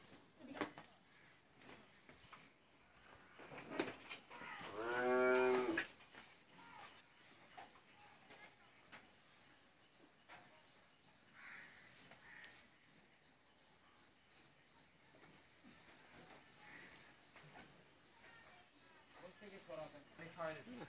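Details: A pair of 16-month-old Mundi heifer calves at a dairy farm in Pabna, Bangladesh. About five seconds in, one loud, drawn-out harmonic moo lasts roughly a second. The rest is quiet, with faint rustling and soft sounds near the end.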